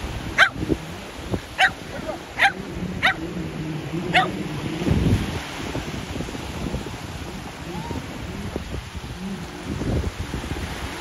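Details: Shetland Sheepdog playing ball at the sea: five sharp barks in the first four seconds, then broadband rumbling of wind and surf with scattered thumps and faint noise for the remaining seconds.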